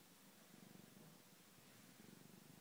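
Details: Domestic cat on a sofa indoors gives a steady low purr, its rhythmic rumbling swelling and fading in regular breathing cycles against a quiet room hiss.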